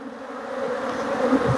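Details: Western honey bees at a farm apiary hive with laying workers, very active with the hive front "going nuts" as the beekeeper works and smokes them: a dense, steady hum of many bees, a low droning buzz with a faint higher overtone.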